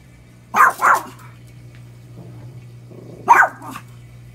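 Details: Lucy, a pet dog, barks at the washing machine as she does every day: a quick double bark, a short pause with faint rumbling, then one more bark, washing machine hum underneath.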